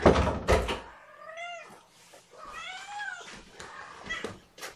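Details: Kittens at morning feeding time, fed formula by syringe and held on a lap: two drawn-out, arching meows, the second longer and wavering, after a pair of loud knocks and thumps, with soft handling noises around them.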